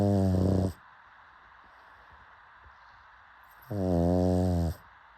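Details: A pug's deep, buzzing snores, one ending as the recording opens and another a second long about three seconds later, quiet background hiss in the gap.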